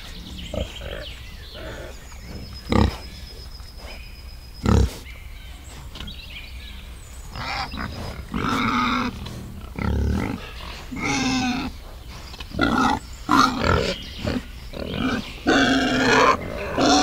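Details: Wild boar and piglets in a forest. Sparse deep grunts and thumps come first. Busier, higher, squealing calls with tonal bands follow, growing more frequent toward the end.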